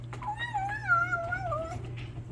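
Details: A Bengal kitten, while eating, gives a drawn-out, wavering, tonal call that dips and slides downward over about a second and a half.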